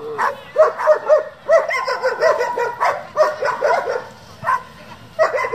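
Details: German Shepherd from a working group bred and raised for competition, giving a rapid run of sharp, ringing barks and yelps, several quick bursts close together, with brief pauses before a final pair of barks.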